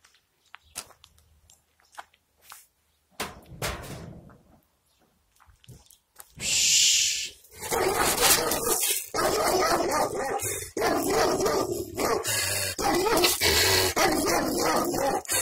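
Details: Angry Kangal dog barking in a village, recorded with a camera microphone on a selfie stick; sparse quiet sounds at first, then loud, harsh, broadband barks repeated in dense bursts through the second half.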